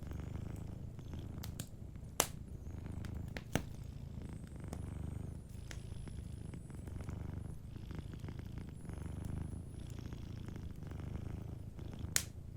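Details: Cat asleep by a warm fireplace, purring in a low even drone that rises and falls with each breath, punctuated by loud isolated snaps of crackling wood.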